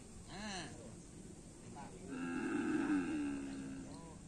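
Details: Cattle at a karapan sapi bull race training session on the Asemanis field. A long, steady, droning moo swells for about two seconds, preceded by a short voice, with a brief human call trailing after.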